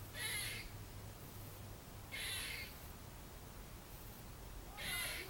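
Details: A squirrel up a tree in a trailer park on 30 December 2014 gives harsh, raspy barks, each about half a second long, repeated every two seconds or so.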